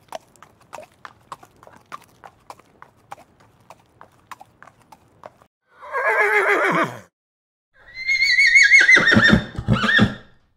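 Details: Horse walking with sharp, evenly spaced hoof clicks, then a brief rough snort-like neigh, a pause, and a long high whinny that wavers and drops into trembling lower pulses.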